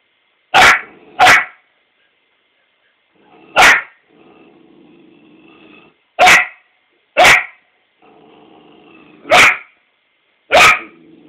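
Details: A 4-month-old female Australian Shepherd puppy barks at her own reflection in a mirror, giving sharp, high barks in short bursts, sometimes in quick pairs.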